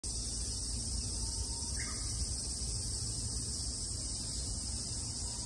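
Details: A Japanese cicada in summer 2022 in Japan gives a steady, high, hissing drone that never lets up, over a low rumble.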